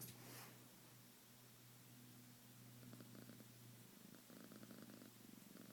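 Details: Shade, a pet cat roused from sleep indoors, purrs softly in a low pulsing rumble that grows clearer and more rhythmic in the second half, over a steady electrical hum.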